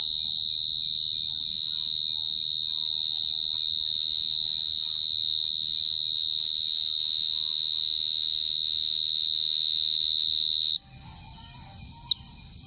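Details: Long, unwavering high-pitched cricket song held for about ten seconds before stopping suddenly, leaving quiet room noise and a single brief click.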